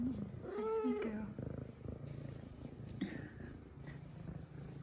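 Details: A female F2 Savannah cat plays with her new toy and purrs. A short tonal meow comes early, then a continuous low purr follows, with a soft human voice and small rustles in the room.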